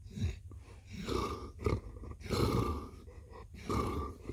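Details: Blue, a cat, purring close up: a low rumbling drone that swells and fades in uneven breath-paced surges, with short breaks between them, in a small quiet room.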